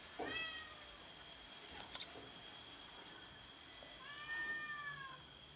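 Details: Domestic cats fighting each other over food: a short high meow near the start, then a longer harmonic meow that rises and falls near the end, with a steady high-pitched tone running throughout and brief clicks in between.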